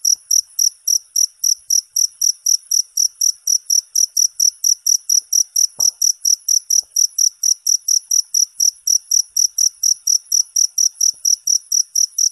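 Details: A cricket gives a rapid, regular train of shrill chirps, roughly four every second. Each chirp is clean and high, carrying a fainter upper ring. A soft knock intrudes briefly midway; nothing else competes.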